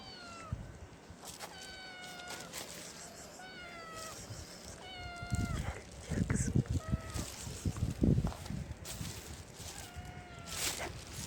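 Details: Hungry stray kitten on the street wanting food, giving a run of repeated meows, some level and some sliding downward, about every second, over low rumbling street noise and rustling.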